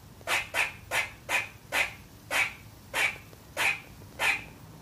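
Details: A young female squirrel, who sometimes barks at nothing, gives sharp, high, raspy barks, roughly two each second; squirrel.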